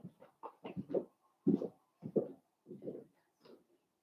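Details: Litter of five blenheim Cavalier King Charles Spaniel puppies, born to Paris and Spike at New Year, in an indoor puppy pen at Red Barn Cavaliers; short gruff yips and grunts in uneven bursts, roughly two a second, with a few squeaky rising notes.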